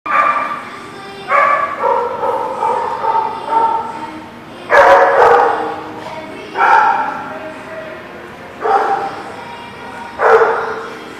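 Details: Dogs at a place called The Barking Lot, recorded 5/31/19; harsh barks in bursts roughly every two seconds, several overlapping voices, with some speech-like sounds mixed in.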